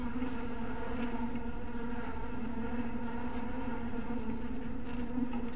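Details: A colony of honey bees in a cottage-style hive at dusk produces a continuous buzzing drone, low and even, with a faint wavering in its upper tones.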